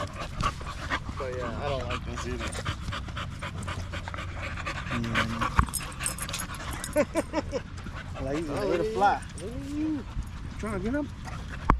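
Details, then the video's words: Male Staffordshire Bull Terriers chatting together at a park during a long evening: wavering, moaning whines and yowls with a quavering vibrato come in short bursts, some rising and falling, mixed with panting and human voices in the background. "Long evening at the park male wolf pack chat"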